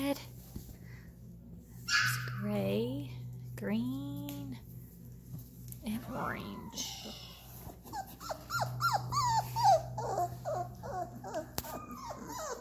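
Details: Labrador Retriever puppies three weeks old, indoors: high squeaky whines and yelps, some rising then falling, come in scattered bursts, ending in a quick run of short yips, over a steady low hum, with a person speaking nearby.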